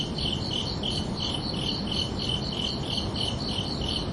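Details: Summer-night crickets give a short run of about a dozen clear, shrill chirps, evenly spaced at roughly three per second, above a low, hissing background.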